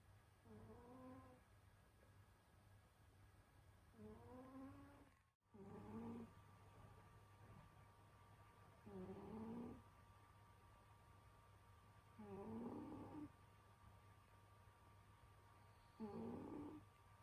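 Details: Winter sleep for Senyora Betsy, a pet cat, who snores in slow regular breaths, five rough humming snores spaced about three to four seconds apart, each with a slightly rising tonal whine, over a constant low indoor hum.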